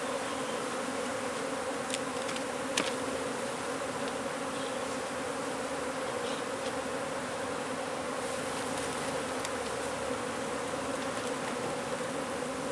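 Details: Honey bees from a hive removed from under a wood pile in McAllen, Texas; a thick, continuous buzzing hum of the colony with scattered clicks and knocks from handling.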